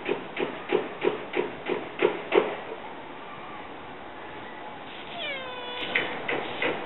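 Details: Domestic cats, a male Siamese dozing in a basket as a black-and-white female arrives: a run of short rhythmic pulses about three per second, a quiet pause, then a faint drawn-out falling meow with clear harmonics.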